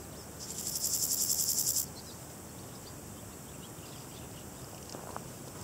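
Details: Variable Chorthippus grasshopper (Chorthippus maritimus) stridulating: a single burst of rapid, evenly pulsed high rasping lasting about a second and a half, then quiet background hiss with a faint distant tick near the end.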